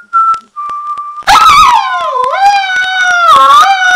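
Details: Alaskan Malamute dog answers two steady whistled notes with a loud, wavering howl-like vocalization, rich in harmonics, that dips in pitch, rises again and holds for over two seconds.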